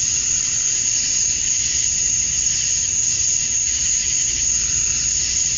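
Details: Georgia, USA, summer evening at dusk: male cicadas calling for females form a constant shrill drone, a bright sustained high note riding over hissing buzz throughout.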